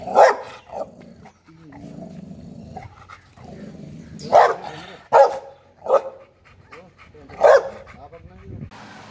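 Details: Newly adopted pit bull puppy giving sharp, short barks at irregular intervals, about five loud bursts, with low rumbling between them and people speaking in the background.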